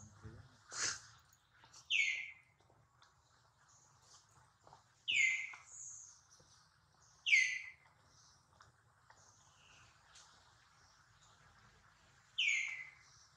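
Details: Baby monkey Duke crying after getting hurt when he misses catching his mother, with mother Duchess nearby: high, harmonic, downward-sliding squeals, about five cries spread over thirteen seconds, with a faint low rumble beneath.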